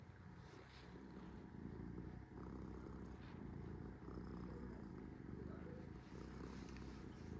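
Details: Sora the cat purring while resting, a steady low rumbling purr with soft rhythmic pulses throughout, faint higher sounds over it.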